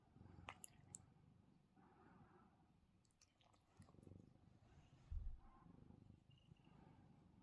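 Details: Domestic male cat purring softly while sleepy and having his chin scratched as he tries to nap; a low, steady rumbling pulse throughout, broken by a few brief clicks and rustles from handling.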